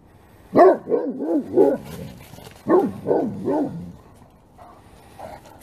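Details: Several Great Pyrenees dogs bark together at full force in two loud bursts of deep, rapid, overlapping barks.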